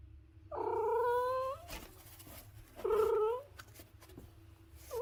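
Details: Two loud, even meows from a domestic cat, about two seconds apart, each rising slightly at the end, with clicks and soft indoor noises between them and the start of a third call at the close.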